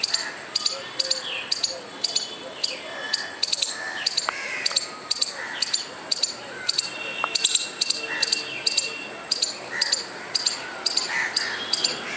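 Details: Steady chattering from a squirrel: brief high, dry clicks repeated about twice a second across the whole stretch, with scattered faint chirps and room noise behind.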